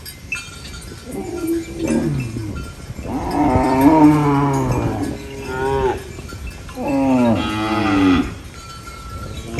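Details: Farm cow eating banana leaves lets out a soft opening low, then a run of strong moos, each rising and bending downward, the calls coming in close succession.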